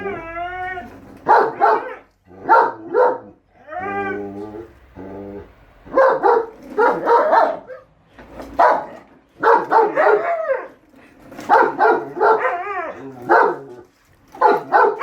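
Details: German Shepherd Enzo and Siberian Husky Shira, pet dogs, argue over whether the lawn mower is evil: drawn-out wavering howls alternate with rapid clusters of short, rough barking yelps, in bursts through the recording.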